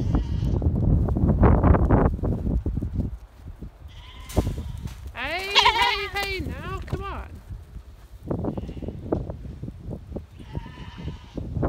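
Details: Goats herded by a six-month-old stockdog: after a stretch of low rumble and voices, a run of quavering, tremulous bleats rises and falls in the middle, followed by more distant bleating and background noise.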